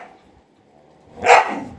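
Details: Golden Retriever, a pet dog, gives a single sharp bark after a quiet stretch, the bark loud and broad with a short fading tail.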